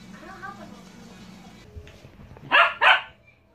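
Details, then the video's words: Pet dog gives two sharp, loud barks in quick succession near the end, after a stretch of quiet indoor room tone with a faint voice; a person then says good morning and urges it to speak. "howling/barking compilation"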